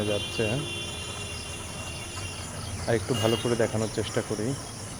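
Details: Fox heard at night: one short harmonic yelp at the start, then a rapid series of six or so wavering cries about three seconds in, set against steady insect trilling.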